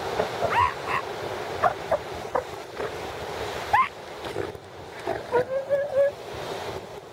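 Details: At San Simeon's Piedras Blancas Rookery on 5 January 2013, a northern elephant seal mother and newborn pup bond. Brief upswept squeals, then a longer level wavering tone near the end, all over constant ocean wash.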